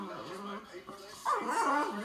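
A French Bulldog complains in a low, moaning grumble that rises into a wavering, whiny yowl.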